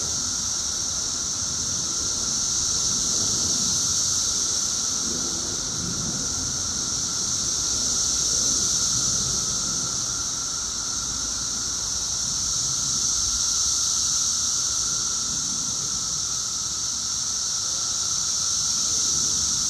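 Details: 17-year periodical cicadas two weeks after emergence, at their loudest: a dense, unbroken droning chorus with a steady high hiss and a thinner mid-pitched whine, swelling slightly and fading over the twenty seconds.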